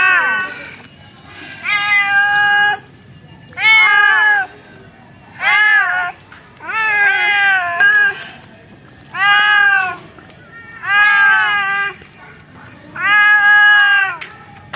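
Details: Domestic cat meowing in a series of about eight drawn-out, arched harmonic meows, each roughly a second long and spaced about two seconds apart, with a faint steady high-pitched whine in the background.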